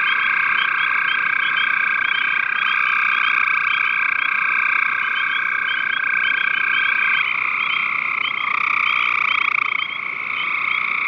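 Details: Gray tree frog calling, recorded 5/7/13: sustained overlapping trilled calls in bright bands, continuous for the full length, with a fainter pulsed layer above and a slight shift near the end.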